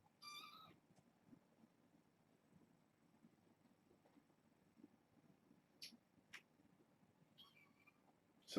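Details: Foster kittens from a six-kitten litter born August 29, at bedtime inside: two brief high meows, one at the start and another near the end, separated by long quiet stretches with light clicks and rustles.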